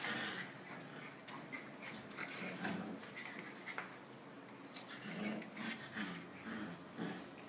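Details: Several puppies interact, giving brief low yips and soft growling notes at about three, five and six seconds over a steady hiss of background noise.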